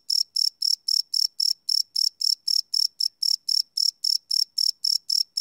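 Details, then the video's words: Live night recording of cricket chirps, no loops: sharp, high-pitched pulses repeating rapidly and evenly, close to four each second, against a silent background. "Cricket Chirp Sound - Cricket Sounds at Night"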